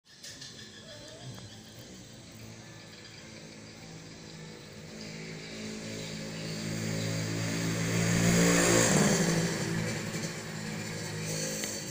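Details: Steady engine rumble from a passing motor vehicle swells to a peak near the ninth second, then fades, with no animal sounds.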